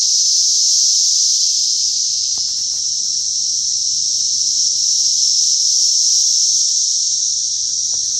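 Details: Cicadas, called locusts, in Oklahoma on 16 June 2013 fill the air with a loud, steady, high-pitched buzzing drone that never lets up.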